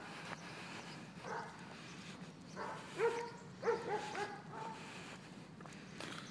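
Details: German Shepherd named Sheba on a walk, letting out a few short tonal barks, two sharper ones close together near the middle, over a low background rumble of outdoor noise.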